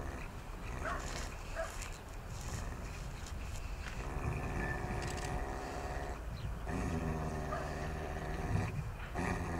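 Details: Akita Inu dog with biting aggression, under re-education work with a trainer and rated 6.5 on a 1-to-10 social risk scale, gives a long, low, rough harmonic growl in the second half, over steady low rumbling background noise.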